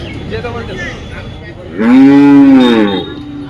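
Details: At the weekly Friday cattle market in Dhaniakhali, a cow gives a single loud, full moo of just over a second, sliding gently downward at the end, with faint crowd voices before it.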